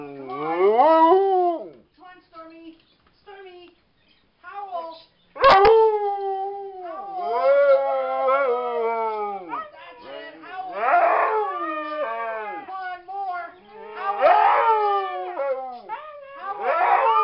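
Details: Siberian Huskies howling in a vigil for the Whistler 100: long, wavering, overlapping howls that rise and fall, several voices layering from mid-clip, with a sharp knock near six seconds.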